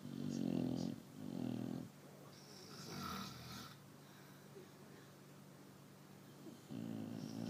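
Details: A pet Chow Chow sleeps indoors and snores in two quick, coarse, rattling breaths, then a long quiet stretch before another deep snore begins.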